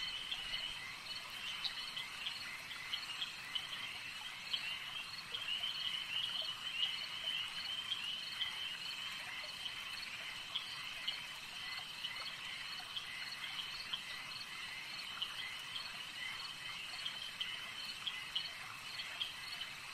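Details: Lakeside frogs in full chorus, a constant shrill, pulsing hum of many voices with brief sharper clicks and chirps scattered throughout, steady in loudness from start to finish.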